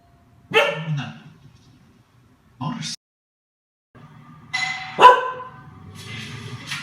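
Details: A female Chow Chow gives short, gruff barks in separate bursts, guarding her house after hearing doorbells on TV.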